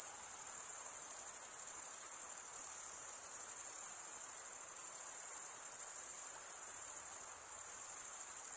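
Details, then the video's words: Chirping crickets, males scraping their serrated wing veins together, produce a constant shrill trill. It barely varies over these few seconds, with small dips in loudness and nothing else audible. "Most relaxing cricket sound for 8 hours"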